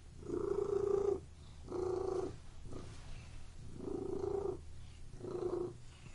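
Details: A cat's purr comes in four short buzzing pulses grouped loosely in pairs. Each vibrating swell lasts under a second against a quiet background.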